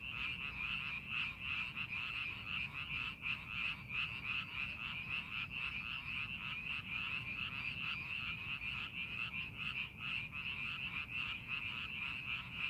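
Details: A rice paddy frog chorus is heard while the fields are being made ready for planting. Fast repeated croaks from many frogs merge into a continuous rattling drone that stays even in loudness throughout.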